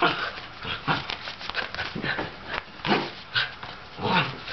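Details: Playful older sable Shetland sheepdog trying to get a younger ginger tabby cat to play makes softer whining yips and short rough grunts, some with a thin high edge, spaced about half a second apart.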